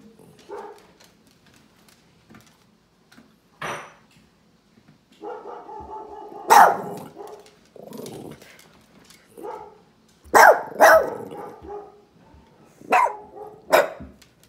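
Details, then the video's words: Family puppy hearing recorded barking from another dog: irregular bursts of sharp barks and shorter yips, some doubled in quick succession, separated by quieter murmuring growls and pauses. "Cute PUPPY Reacts To Recording of Dog Barking"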